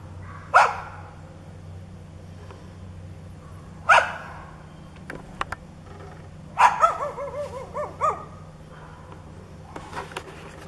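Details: Neighbour's dog barking and growling, described as foaming at the mouth and charging whenever the person turned away; a few loud, widely spaced barks, one breaking into a wavering growl-whine, over steady low hum.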